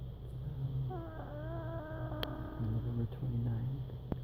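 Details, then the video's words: Emma, a pet cat, making sounds in her sleep in November 2016: a wavering, tonal whimper with stacked harmonics lasting about two seconds, then shorter low murmurs, over a steady low hum. "Emma making funny sounds in her sleep"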